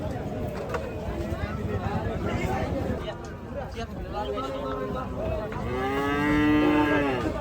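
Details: Unloading of Gaiya cattle on a farm: busy murmur and soft lowing, then one strong, sustained moo closes the sequence, its tone holding steady for about a second.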